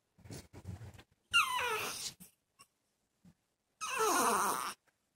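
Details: Male dog kept indoors in a separate room from a female in heat, whining: two long, wavering high whines with a descending harmonic sweep, the first trailing off, separated by soft snuffles and short pauses.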